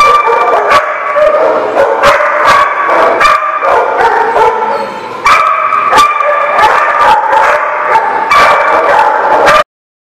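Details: Close, very loud dog giving a steady series of harsh, ringing barks about once a second, some stretched into yelping howls, continuing for nearly ten seconds before stopping abruptly.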